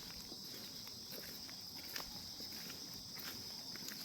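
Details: Unbroken high, hissing insect trill from grass insects in calm morning stillness, with a few faint ticks and taps scattered across the short stretch.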